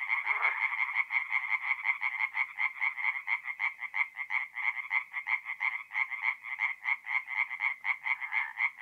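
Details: Night chorus of tree frogs at a forest pond in north-east Italy, mid-April: rhythmic pulsed croaks repeated several times a second, loud and steady, with the pulses slightly uneven as neighbouring frogs overlap.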